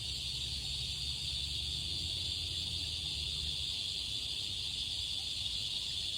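Cicadas sing in a steady, shrill, unbroken buzz that holds at one level throughout.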